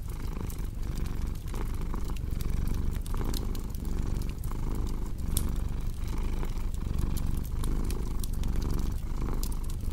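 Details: Domestic cat purring steadily, a dense low rumble pulsing at a breath-like rate near once per second, with crisp fireplace crackles ticking over the top.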